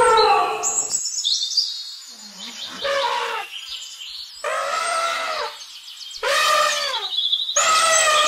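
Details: Elephant trumpeting: several loud, raspy blasts rising and falling in pitch, mixed with thin high squeals and a soft low murmur between calls.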